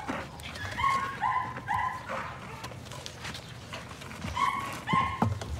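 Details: Several Patterdale Terrier puppies at evening rat work in a puppy pen give short, sharp, high-pitched yips, three in quick succession early on and two more near the close, with scuffling and thumps between.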